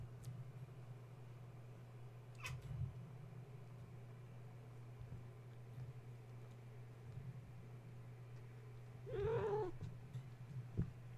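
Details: Domestic kittens of the cat Gaia, roused at bedtime when the space heater went on, play and climb. One short rising-falling meow comes late, preceded by a sharp tap, all over a persistent low mains-like hum.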